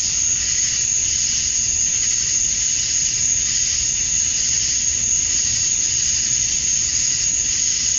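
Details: In Georgia, USA, male cicadas sing at summer dusk to draw females, producing a relentless high buzzing hiss with slight rhythmic pulsing and a thin sustained whistle-like tone, low hum in the background.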